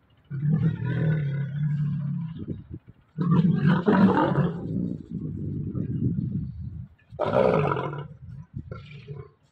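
A Bengal tiger gives long, deep, rumbling roars in three drawn-out bursts.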